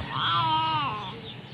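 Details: Hungry kitten meowing around mealtime: a single drawn-out, clear, tonal meow lasting about a second, rising slightly then sliding down, followed by a faint short trailing note; a person speaks nearby.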